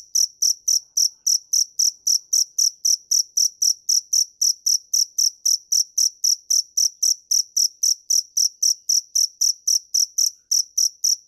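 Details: Steady, high-pitched cricket chirping: crisp pulses repeated nearly four times per second without a break, on a silent background.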